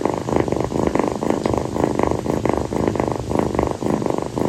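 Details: Kii, a female calico rescue kitten, lies on her owner's feet at night, purring and seeking affection. A close, strong, throaty purr beats in quick, even bursts on each breath, with little else audible.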